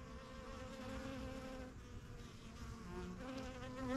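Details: Many honey bees at a busy backyard hive, the yellow box, settling into new surroundings after a spring 2023 start; continuous low hum of massed wingbeats, even in level throughout.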